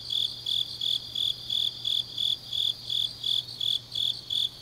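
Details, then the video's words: High, rhythmic chirping of grass insects on an autumn night in Changnyeong, Korea; short shrill bursts repeat steadily about three times per second, with only a faint low hum behind. "깊은밤 가을 풀벌레 소리"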